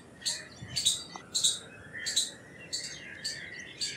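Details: Indian palm squirrel making loud, sharp chip calls in an irregular series, a little under two a second, with quieter bird chirps underneath.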